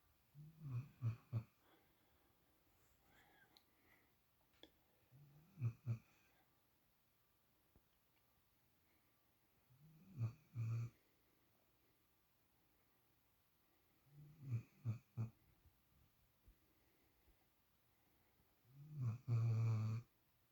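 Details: Spoiled female puppy sleeping in Shadow's usual spot; short snorting snore bursts recur roughly every four to five seconds, each made of two or three quick rattling pulses, with soft breathing between them.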